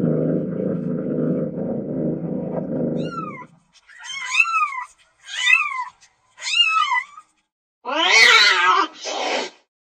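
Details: Domestic cat at play and rest: a low steady purring rumble for three seconds, then four clear arching meows, each rising and falling, ending with a loud harsh yowl and a short noisy burst.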